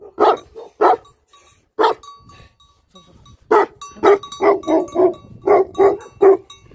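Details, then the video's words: Barking livestock guardian dogs: a few spaced barks, a quiet gap, then a fast run of repeated barks overlapping one another. "Livestock Guardian Dogs Barking"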